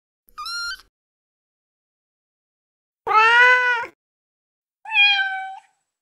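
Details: Kittens calling for their mother: three separate meows, a short high one, a loud drawn-out falling meow, then a shorter flat one, with clear silence between.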